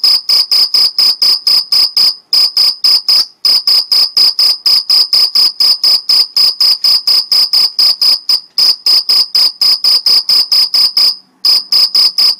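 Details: Dense, continuous stridulation of a Mediterranean field cricket, Algarve, Portugal: high, buzzy chirps following closely one after another, broken only by a few brief pauses.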